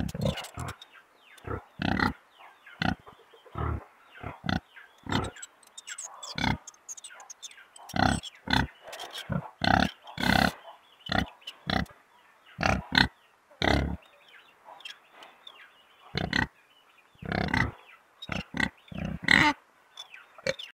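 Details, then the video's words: Many short pig grunts and snorts repeated steadily, sometimes in quick pairs, over a faint continuous murmur; thin high squeaks appear now and then among the grunts. "Som de porco | Barulho de porco roncando"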